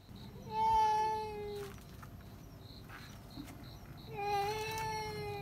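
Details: Indoor house cats shrieking at a cat seen outside. Two drawn-out, level yowls sit a few seconds apart, each over a second long, with quiet room noise and faint thumps between them.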